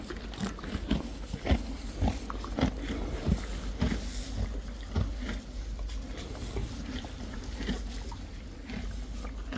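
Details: Friesian horses and foals munching hay with steady, crunchy, irregular chewing and soft grinding.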